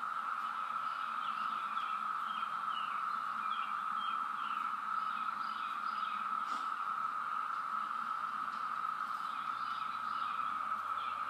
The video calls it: Periodical Cicadas are LOUD